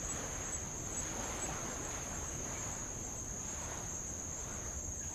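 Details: Tongan insects at Avalau, recorded from the water near old lava: a steady, shrill, unwavering buzz fills the background as low, rolling wash of light waves continues underneath.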